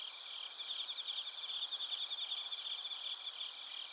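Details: Bell crickets and field crickets from Narita in Chiba Prefecture, Japan, recorded on a TASCAM Portacapture X8, give quick bright chirps in fast pulsing bursts above a continuous high-pitched insect drone.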